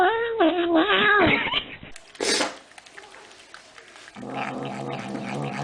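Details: Domestic cat from a funny cat-sounds compilation: a wavering, nasal meow with a bending, harmonic-rich pitch lasts almost two seconds. It is followed by a short noisy burst, quiet rustling, and then a steady low droning hum.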